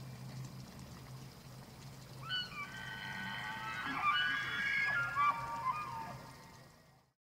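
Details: Elk bugling in the rut at the Slippery Ann Elk Viewing Area, Charles M. Russel National Wildlife Refuge, Montana, on the evening of 24 September 2024. A high, whistled, wavering bugle with stacked overtones rises and holds for about three seconds over a low rumbling background.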